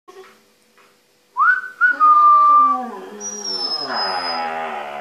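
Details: Husky-malamute mix dog howling with a young border-fox mix puppy, described as a music lesson; a sliding tone rising then holding steady, followed by a higher thin whistle-like tone over a broad wavering howl.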